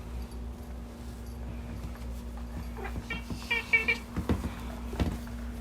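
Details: Pet cat that cannot make a normal meow and has a strange voice, greeting its owner indoors; a quick run of three or four short, high, chirping calls at mid-clip, with soft thumps and clicks in a quiet room.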